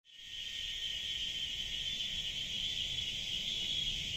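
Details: Cicadas in the jungle: a continuous, steady high-pitched buzzing drone that holds without a break from start to finish, with faint low rumble underneath.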